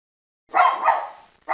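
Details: A poodle barking: one clear, mid-pitched bark lasting under a second that tails off, followed by the sharp onset of a second bark, set against silence.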